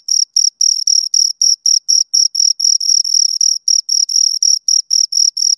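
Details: Shrill, rhythmic chirps from two crickets, each short high note repeated nearly four times a second at constant pitch, ending abruptly; silence between pulses and no other sound.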